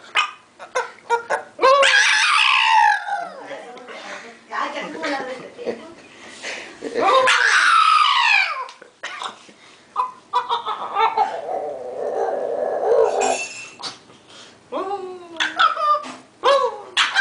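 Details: Dog howling in a funny way indoors: long wavering howls rising then sliding down, about three drawn-out bouts separated by short yelps and quieter broken whines, with a person's voice now and then.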